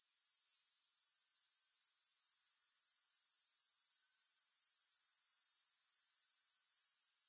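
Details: Grasshopper chorus fading in from quiet over the first second, then settling into a bright, sizzling trill with regular pulses roughly four per second and nothing else audible.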